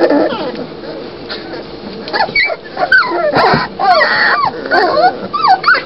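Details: Doberman Pinscher puppies giving scattered squeaky whimpers and short yips, rising and falling, quieter at first then more frequent overlapping cries in the second half.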